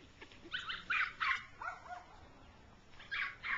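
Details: Six-week-old rough coat Jack Russell Terrier puppies with their mother, playing in the grass; a quick run of four high, bright yips, then a pause and two more sharp yips at the end.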